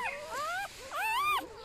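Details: Close, loud whining from a newborn golden retriever puppy in a litter of eight being held and shown. It gives two long, bowed, high cries, each rising then falling, with a softer whine between them.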